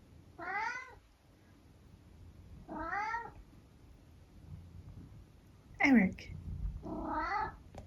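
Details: Eric, a pet cat, meowing indoors at breakfast time: four separate drawn-out meows a couple of seconds apart, each wavering and bending in pitch, the third louder and sharper, with quiet room noise between.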